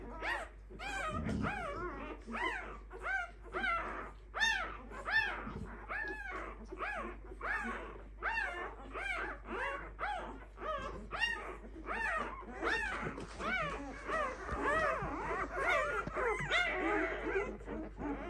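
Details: Five-day-old Clumber Spaniel puppies of one litter squeal together in a dense, overlapping chorus of arched, harmonic whines, roughly one cry every second, rising and falling in loudness over a low steady hum.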